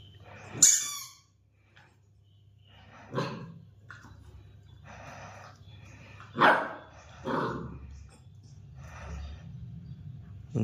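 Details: Labrador Retriever puppy playing with its toy indoors. Four short, sharp yelping barks spread over about ten seconds, with soft breathing and snuffling sounds in between.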